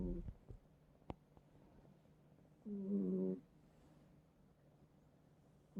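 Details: Domestic cat snoring while asleep on a person's bed indoors in a multi-cat home; quiet breathing noise, then a louder rasping, tonal snore lasting under a second, with soft rustles around it.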